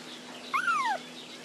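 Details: Puppy crying for its mother: a single short whine that rises quickly, then slides smoothly downward over about half a second, with a faint higher echo of the same shape above it and a quiet background.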